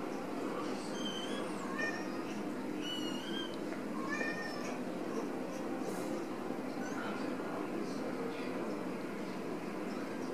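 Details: Several Ragdoll kittens raised in a home cattery in central Kansas, not caged, give short high meows, some rising then falling, scattered over steady broadband background hiss.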